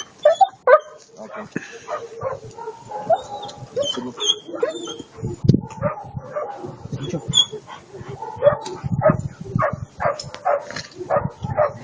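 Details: German Shepherd giving uneven barks mixed with higher whimpering yelps, the calls coming in quick clusters while human voices talk in the background.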